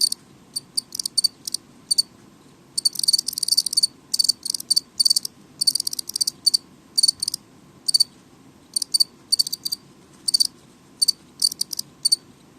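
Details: Indoor house cricket giving noisy chirps, dense clustered bursts of shrill high pulses early on, then evenly spaced single chirps about every half second, a soft hum beneath.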